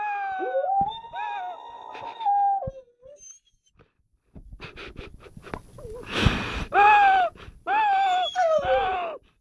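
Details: A 12-month-old Rottweiler howls one morning in long, wavering tones that rise and fall like singing.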